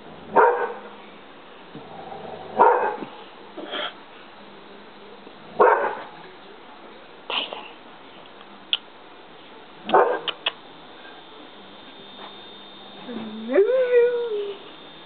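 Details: English Springer Spaniel barking in scattered single bursts, ending with a rising, wavering whine.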